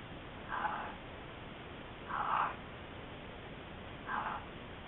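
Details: One of a Gray fox pair in Southern California gives three short, husky, mid-pitched barks or yips, about two seconds apart, over a steady background hiss.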